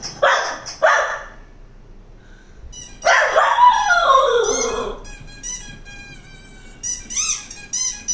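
A Cocker Spaniel gives two sharp barks, then a long, falling, whining bark amid high squeaky-toy squeals.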